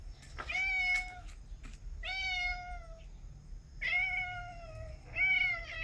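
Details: Household cats at home, September 2021 in early autumn; four drawn-out, clear meows, each opening sharply then sliding slightly downward and holding steady, repeated roughly every one and a half seconds over a quiet room background.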